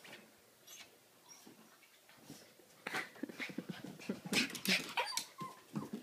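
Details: A Pomeranian begging to be taken for a walk. The first seconds are quiet, then from about three seconds on comes a rapid run of short, breathy, high-pitched whines and yelps.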